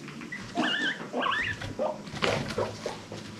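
A guinea pig gives high, whistled wheeks that wobble up and down, then softer squeaks.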